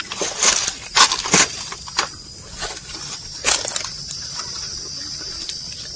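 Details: Cows and oxen tear and crunch grass in irregular bursts of dry, crisp ripping as they walk and graze.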